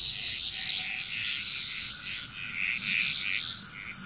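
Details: Bali, Indonesia frog chorus, several frogs giving quick knocking croaks in rapid, uneven succession, overlapping throughout, with a constant thin high background tone.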